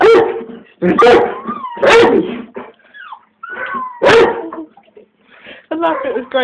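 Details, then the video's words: A pet dog gives several loud barks at irregular intervals, mixed with whining, rising squeaky whimpers and a person's voice between the barks. "MAXS BARK"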